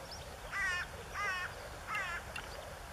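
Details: Moor frog males in their blue wedding dress call in April 2013 near the Elbe, Lower Saxony, Germany. Three brief, rapidly pulsed, bubbling notes follow one another about every 0.7 seconds.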